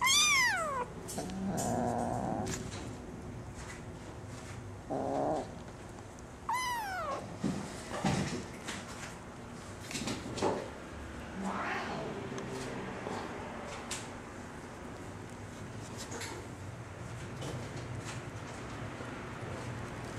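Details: Female Singapura kitten, still small, born at home to two CFA champion parents and nursing well. She gives two high, wavering mews that slide steeply downward, one at the start and another a few seconds later, over soft rustling and scattered faint sounds.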